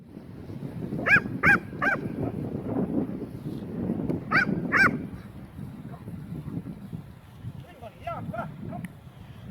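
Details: Leonberger named Aslan guarding a newly acquired toy: pairs of short, high, rising-then-falling yelping calls come in two bursts, then softer trailing whines. A low rumbling murmur persists underneath throughout.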